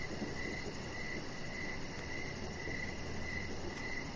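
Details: Crickets chirping outdoors in the evening beside a deck with decoration lights on, short pulsed chirps repeating steadily about every half second, a fainter high continuous trill above, over a broad low background hum.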